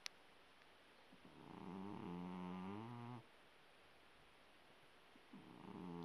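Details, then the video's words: Sleeping Persian cat snoring like a person: a low, buzzy, harmonic snore swelling and slightly rising for about a second and a half, then quiet, before the next breath starts near the end, in a quiet room. "gato persa roncando como persona"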